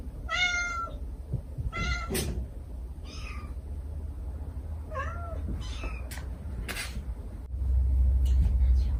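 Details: Stray mother cat and kittens calling to each other: short harmonic meows in a quick cluster at the start, then fainter broken cries, sharp clicks, and a low rumbling hum that swells near the end.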